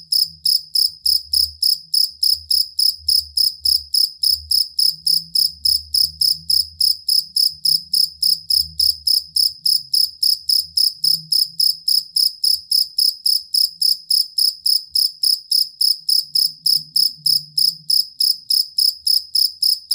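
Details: Cricket (jangkrik kalung or fighting cricket) serving as a master sound for songbird training: an unbroken, metronome-like series of piercing pulsed chirps at about three or four per second, with soft low background murmur.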